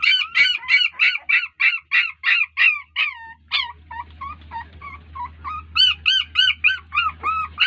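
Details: Puppies crying out to an unresponsive mother dog; loud, quick, squealing yelps in a rapid series, dipping briefly into lower, softer whimpers before climbing back to shrill cries.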